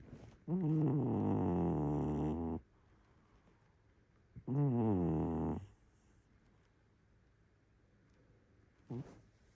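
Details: Cat snoring: two long, low, buzzy, tonal snores of about two seconds and one second, separated by quiet gaps, then a brief soft snort near the end; otherwise a quiet background.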